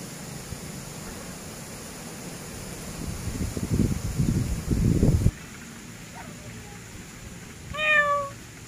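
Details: Grey pet cat: a low rumbling background noise fills the first five seconds, then a soft short chirp, and near the end one clear rising-falling meow with bright overtones.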